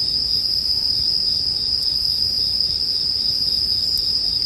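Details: Continuous shrill ringing of bell crickets mixed with a bonfire as relaxing sleep ambience; the high insect tone holds unbroken, with two soft crackles of burning wood.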